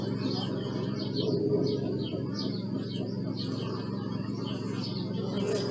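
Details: Bees buzzing as a steady, low, droning hum, recorded on a Sony Alpha 6000 camera, with small birds chirping high and sweet throughout.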